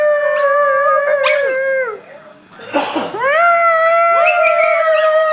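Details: Household dogs howling in chorus, long steady harmonic tones that fall away at the end of each breath, a noisy burst and gap midway, then a fresh rising howl that levels out and holds.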